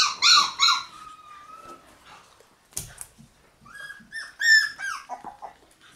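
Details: Several sharp high yips from Shiba Inu puppies kept in a puppy room on May 20, trailing into a drawn whine, a pause with a thump, then another cluster of quick yelps and soft whimpers.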